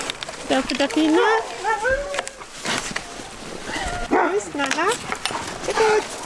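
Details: Sled-tour huskies kept in a kennel of about fifty dogs on a frozen winter day; rising and falling yelping howls in repeated arcs, several dogs calling together, with a person talking between them.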